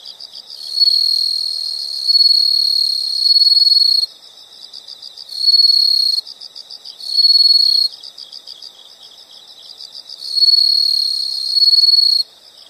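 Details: High-pitched insect song: four bursts of loud, fast-pulsed trilling, each one to three seconds long, alternating with a quieter continuous stream of rapid chirps underneath.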